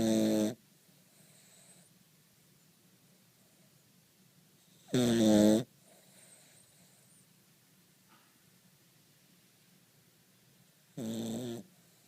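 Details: Cavalier King Charles Spaniel asleep and snoring heavily, three harsh, rattling snores spaced about five to six seconds apart, each lasting half a second, with only faint breathing in between.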